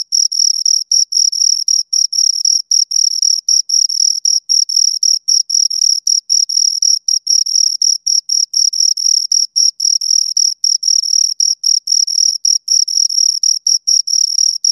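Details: Two crickets produce a continuous run of high, rhythmic chirps, bursts of rapid pulses about four each second with brief pauses between, a faint higher overtone above the main tone, quiet surroundings.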